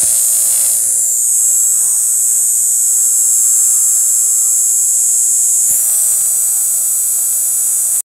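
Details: Shrill continuous drone of cicadas in forest bushes at Panchkula, 9 April 2021, with the high buzz wavering slightly near the start and again around six seconds, otherwise constant.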